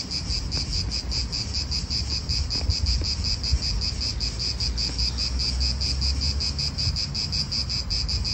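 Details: In an Italian park, cicadas keep up a dense, pulsing high-pitched buzz at a fast even rhythm, with wind and low rumble of nearby cars underneath.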